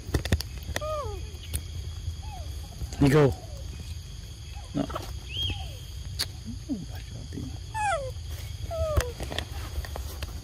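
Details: Young monkeys at Sovana, excited while waiting for breakfast and fruit treats: scattered short squealing calls that swoop up and down, a harsher louder outburst near three seconds, over a steady low rumble and faint background hiss.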